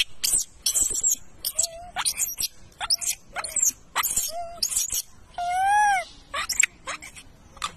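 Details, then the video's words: Young wild macaque crying loudly while bullied by its mother: a rapid string of shrill broadband screeches, then a longer arched, tonal wail that rises and falls before more short harsh shrieks. "The baby monkey was bullied by the mother monkey and cried loudly"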